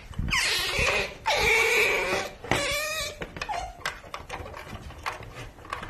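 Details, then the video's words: Baby otter, likely kept as a pet and heard indoors, uttering a run of shrill, harmonic squeals that dip sharply in pitch at their start, about two per second, then fading into soft rustling and clicks. "Cutest Baby Otter Videos Compilation"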